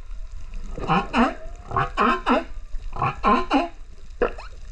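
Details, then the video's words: Humpback whale male singing near Rurutu on 28 September 2024, filmed with a GoPro: paired harmonic cries in rapid bursts, swooping up and down, with short gaps and a thin rising squeak at the end. "Humpback Whale singer Rurutu"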